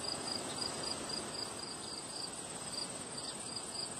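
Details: Crickets chirping on a windy day: a steady train of short, high, pulsed chirps repeating several times a second over a broad rushing wind noise.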